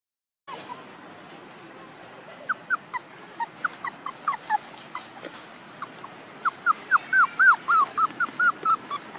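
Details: One-month-old puppies whimpering and yipping: short rising-falling squeaks around the upper-middle register, scattered at first, then a denser run of bright repeated cries near the end, several overlapping over steady background hiss.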